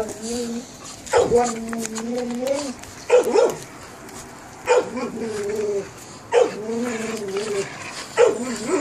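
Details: Perro de Presa Canario pups aged 72 days calling in repeated, sustained whining yelps, each lasting about a second and coming roughly every one and a half seconds, sharp onset then a steady, slightly wavering tone.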